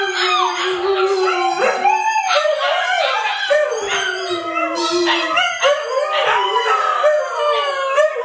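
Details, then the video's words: Siberian Huskies, Luna, Gizmo, Arya and puppies, howling as a group: one steady low drawn-out tone beneath higher voices that rise and fall, continuous throughout. "SIberian Husky Howling"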